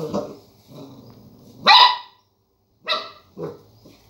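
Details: A Border Collie puppy seeing a lemon for the first time gives a loud, high, sharp bark, then two shorter yips.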